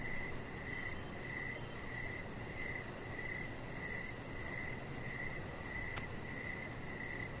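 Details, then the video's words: Evening crickets sing near a deck where a chihuahua puppy rests under decoration lights: regular short high-pitched chirps, roughly one and a half per second, layered on a steady rushing background hum, with one brief click. "Chihuahua Puppy Laying On Deck with Cricket Sounds"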